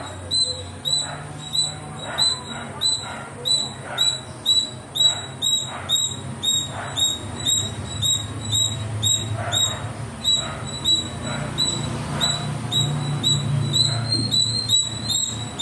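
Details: Squirrel playing and climbing among trees, calling with a long run of bright, high-pitched chips, roughly two per second, briefly growing irregular near the end, with faint low rumble underneath.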